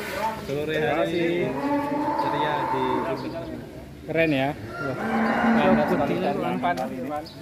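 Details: Very large fat cow, a candidate for qurban sacrifice, giving long drawn-out low moos that hold steady for a second or two near the start and again past the midpoint, with brief human voices in between.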